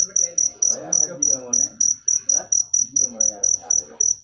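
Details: Bright, piercing cricket chirps in a quick regular series, near four per second, with muffled low-pitched background noise in between.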